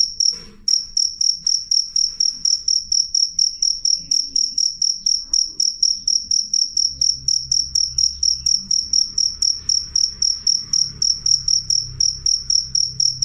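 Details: Cricket with a loud, clear voice, kept to drive off rats and to tutor songbirds, sings a continuous train of sharp high chirps, about four per second, after a brief break near the start; soft low hum underneath.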